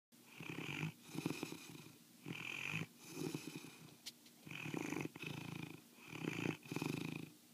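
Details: Osa, a sleeping foster mastiff, snores in loud rasping rattles, each broad rough exhale alternating with a softer, breathier intake, about five heavy snores across the stretch with a hissy edge on top.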